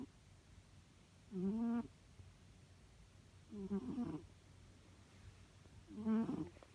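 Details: Sleeping domestic cat snores: three slow, low, wheezy rasps with a slightly rising tonal whine in each, spaced roughly two to two and a half seconds apart over quiet room hum.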